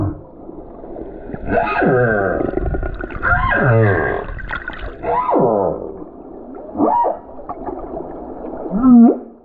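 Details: Humpback whale, a lone male, sings on the Silver Bank in February 2023 beneath a snorkeler; long descending harmonic moans alternate with short buzzy pulses, ending in a sharp squealing upsweep.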